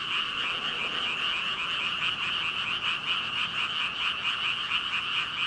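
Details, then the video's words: Thousands of frogs, about 5,000, calling together, recorded with a Rode VideoMicro: a dense, unbroken wall of overlapping croaks, bright and high-pitched, with no single caller standing out and no other sounds. "개구리 수천마리 개굴개굴 울음소리"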